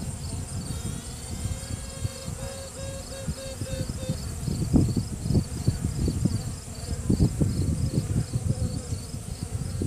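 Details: Virgin honey bee queen inside a hive during a routine check, sounding off to assert dominance: a trumpet-like tone pulsed in short regular beats for about four seconds, over the steady low roar of the colony's workers.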